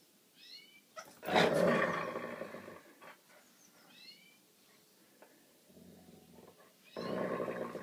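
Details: Gypsy, a Boston Terrier, who doesn't want to know and growls like a tiger. Two harsh, rasping growl bursts, each a second or more, are broken by short squeaky whines, and a person speaks briefly at the end.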